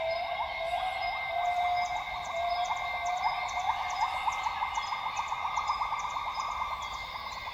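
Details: Dawn song of northern grey gibbons in Tawau Hills Park, Sabah, northern Borneo rainforest. Quick, bubbly rising notes run on in a dense, accelerating series, while insects keep up a constant shrill hum.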